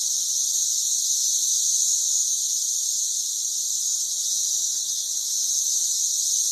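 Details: Many Brood XIX periodical cicadas on trees by a house in Murfreesboro, Tennessee, forming an unbroken high, hissing drone that stays level and constant, with no other clear sounds.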